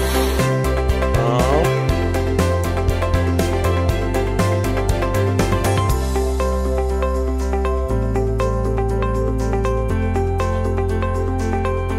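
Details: Upbeat electronic music with a steady beat and bright synth notes fills the whole stretch, and no animal voice comes through.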